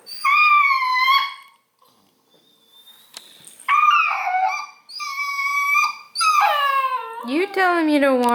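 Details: Whiny Redbone Coonhound pup pestered by a cat: four loud, drawn-out, high-pitched whines, the first steady, the later ones wavering, the last sliding down in pitch, separated by short quiet gaps.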